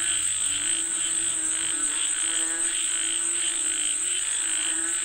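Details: A short stretch of frogs calling for rain, overlapping pulsed croaks from many animals under an unbroken shrill high-pitched hiss.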